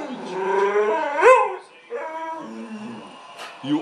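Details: Female house dog calling for attention from her companion dog, a rising, wavering howling whine that breaks off, followed by a shorter lower moan, with a woman's voice nearby.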